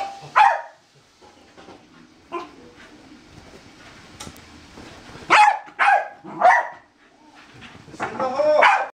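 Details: A corgi excitedly chasing a laser lets out short, punchy barks, singly and in quick pairs, spaced irregularly over several seconds, with faint household sounds in the background.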